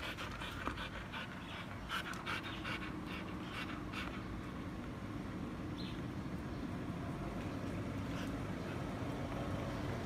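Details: Panting from Siberian huskies jostling over a treat stick, Barry defending his snack against Candy, Cookie and Happy; rapid rasping breaths, clearest early on, fade under a constant low rumble.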